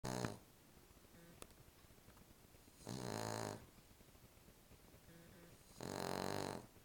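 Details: Small female Cavalier King Charles Spaniel asleep indoors, snoring loudly: two long harsh rasping snores about three seconds apart, broad and noisy with low buzzy harmonics, softer wheezy exhalations between them in a quiet room.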